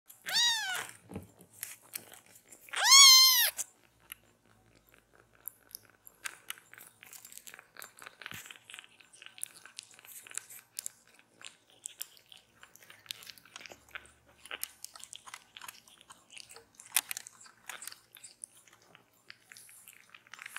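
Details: Miko, a rescued calico kitten, seeks affection on a lap while another kitten, Kira, is bottle-fed milk. Two clear, high, arching meows come within the first four seconds, followed by soft clicking, smacking and rustling sounds.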